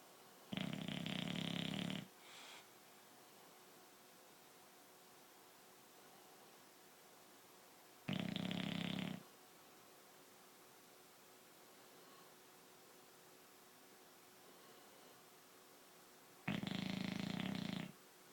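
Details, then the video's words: Sleeping dog snoring indoors: three long rasping breaths roughly eight seconds apart, each about a second and a half, with quiet hiss between them. "Dog snoring"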